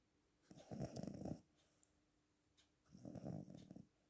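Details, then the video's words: Cat snoring with two drawn-out, low, rattling breaths, each near one second long and about two and a half seconds apart, in a quiet indoor setting. "Кот храпит"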